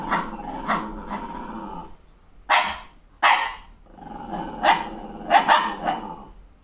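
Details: Female Malshi puppy angry at seeing herself in the mirror with a fresh haircut: a low rumbling growl, then two loud barks after a short pause, then more growling broken by quick yaps.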